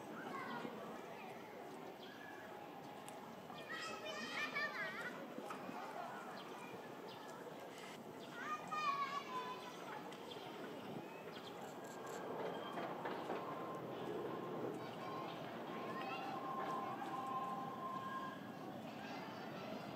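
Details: Gorillas of the Shabani group in Japan, May 2023, during a fight in which Shabani's daughter Annie and others chase him; harsh rising screams and cries in bursts around four and nine seconds, with children's voices and crowd chatter throughout.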